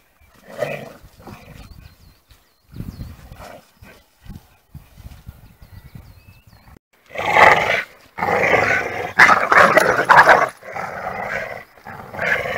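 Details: Two pit bull terriers, 26 kg and 28 kg, in a tug of war: soft scattered snorts and short rough bursts for several seconds, then loud harsh rasping growls in long, unbroken bouts through the second half.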